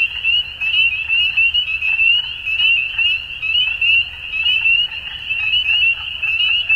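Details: Many frogs heard at dusk, their calls merging into one bright, unbroken high trill, with short sharp notes sparkling above it and the overall level surging and easing in irregular waves.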